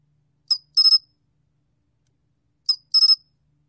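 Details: Korean sol-gwitturami cricket, recorded for the National Institute of Biological Resources in 2020, giving two chirp groups: each is a brief high click followed by a tight triple pulse of bright, ringing tone, with silence between.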